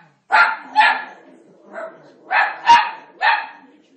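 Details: An Italian Greyhound gives a run of sharp, high barks at Moses on the TV during The Ten Commandments, while a person talks softly nearby.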